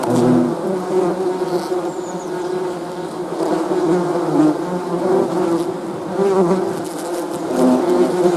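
A dense, steady hum of many honey bees buzzing together, low and droning throughout.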